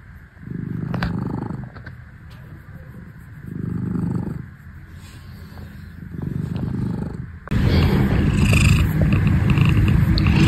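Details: Domestic cat purring in low rumbling bursts that swell and fade with each breath, roughly every two and a half seconds, then turning into a louder, closer, continuous rumble in the last few seconds.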